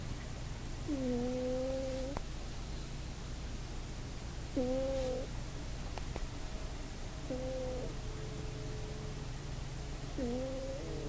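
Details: Pet cat asleep on a bed indoors, snoring in a way that sounds slightly like farts, recorded on an iPod: buzzy tonal snores about a second long with rising and falling overtones, repeating roughly every three seconds over a steady low hum.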